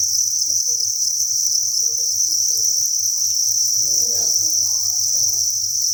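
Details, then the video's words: Continuous high-pitched trilling from a mass of crickets at a cricket breeding farm, steady and unbroken, over a low hum with a short muffled rustle near the end. "Cricket Chirping Sound"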